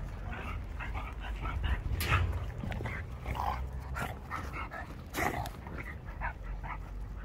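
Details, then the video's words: Shar Pei puppies giving short, high yips and whimpers in quick, uneven bursts, some stacked and tonal, over a steady low hum, with a sharp click-like sound near the middle. "puppies Shar pei"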